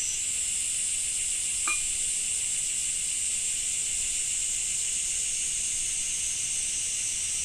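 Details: Steady high-pitched cicada drone in Japan in summer, unchanging and layered in two bands. One short crisp click sounds early on, with a faint low hum beneath.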